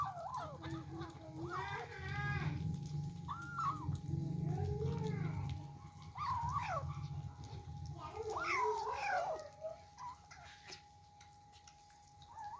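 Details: Kittens eating for the first time and scrapping over their food give repeated arched, wavering meows at irregular intervals, with a steady low hum and a constant tone running underneath throughout.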